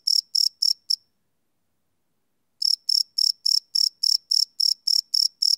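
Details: Crickets at night, live field recording on a Sony PCM D100: four quick high chirps, a pause of about one and a half seconds, then eleven more shrill pulses in steady succession.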